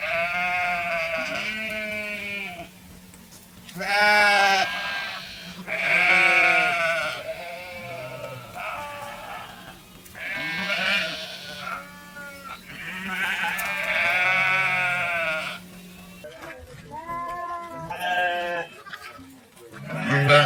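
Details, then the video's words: Repeated sheep bleats, roughly a dozen over twenty seconds, some long and wobbling, others short and clipped. Loud, nasal cries alternate with softer ones, and a steady low hum lies beneath. "Suara Domba | Sheep Sound Effect Videos"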